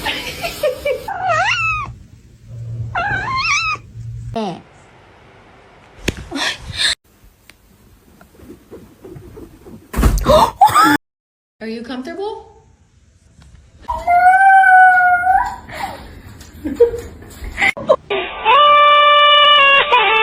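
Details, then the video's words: Kitten meowing, from a compilation of cute cat moments: drawn-out wavering meows near the start and a rising, falling meow later, broken by silences, human speech and a steady electronic tone at the end. "kitten meowing cute"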